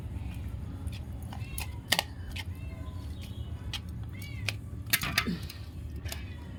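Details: Cats are given boiled fish with rice and mew softly among plate clatter. Short arched meows sit under steady talking and sharp clinks of dishes.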